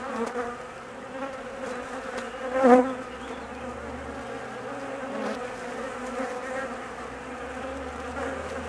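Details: Nervous honey bees whose queen has left on a mating flight lasting about 45 minutes; steady harmonic humming with one sharp louder burst of buzzing around three seconds, then a level drone.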